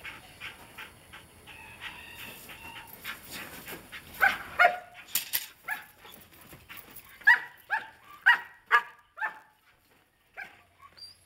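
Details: Belgian Malinois Ekus of Des Champs, Mexico, 14 February 2011: after murmuring voices, a run of loud, sharp barks comes roughly every half second, about eight in all, then fades to silence.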